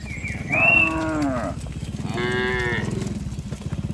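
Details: Tame cattle herded from a broad green pasture to the pen give two long moos, each slightly falling in pitch, back to back, against a constant low droning background.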